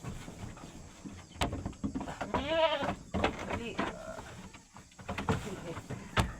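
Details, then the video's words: A playful, pesky goat gives a single quavering bleat of about a second with stacked wavering harmonics. People talk and call out around it, with scattered clicks and handling noise. "makulit na KAMBING"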